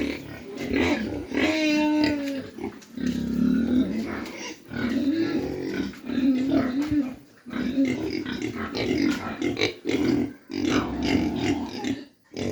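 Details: Mini pigs kept on a farm in Dimapur, Nagaland: a drawn-out harmonic squeal early on, then repeated rough grunting and snuffling in short bursts separated by brief pauses.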